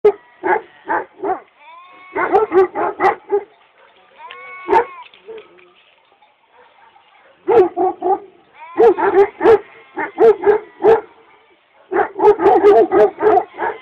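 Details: Kangal dogs in Çorum, Turkey, barking loudly in rapid clusters of harsh, harmonic barks separated by short pauses, with a drawn-out howl-like note near the middle and quiet gaps between bouts.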